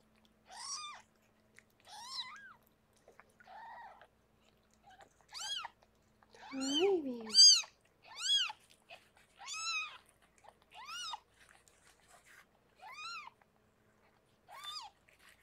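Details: Rescued pregnant cat Harlequin giving birth to six kittens indoors in foster care; a run of about twelve high, arched, harmonic mews repeating every second or so, with one lower, throatier meow midway, in an otherwise quiet room.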